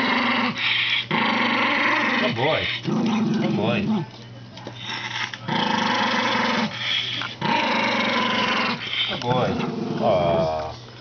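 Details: Aging, increasingly senile Toy Poodle growls indoors in repeated drawn-out, tonal rumbles of about a second each. Short gaps separate the bouts, and some end in sliding, whiny notes across roughly eleven seconds.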